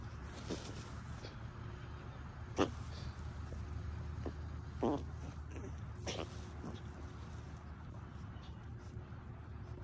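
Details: Chihuahuas, happy and content during a relaxing afternoon in the shade, let out a few brief nasal snorts and puffs spaced seconds apart against a constant low hum.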